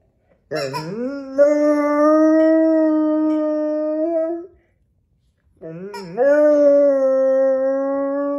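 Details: A long-coat American Akita, male, recorded on January 10, 2023 in Vaudreuil-Dorion, Quebec, Canada, howling when his toy squeaks: two drawn-out howls, each starting with a short upward slide, then holding a smooth, even pitch for several seconds.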